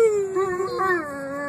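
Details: Dog named Bruce howling along with a person, a long tonal howl sliding slowly downward with a brief wavering rise near the middle, strong harmonic overtones, in a small indoor room.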